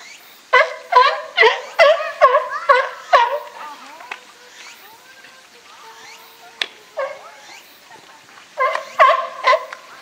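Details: California sea lions in a captive group at Higashiyama Zoo and Botanical Garden, 12 September 2023, with Felix the group's boss; loud harsh harmonic barks in a rapid run of about six, a quieter pause, then further barking bursts.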